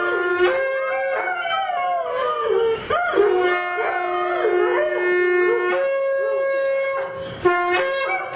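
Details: Two twin Airedale Terriers howl with wavering, sliding tones while a horn blares steadily.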